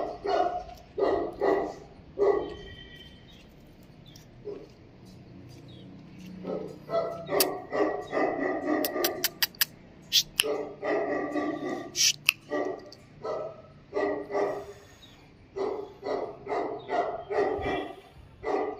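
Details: Tibetan Mastiff giving repeated heavy, booming barks in irregular runs, broken by a short quieter stretch and several sharp clicks and knocks in the background.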